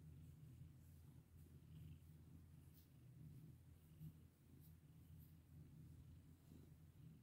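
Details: Domestic cat purring while being petted, a steady low rumbling purr throughout with faint light rustles above it.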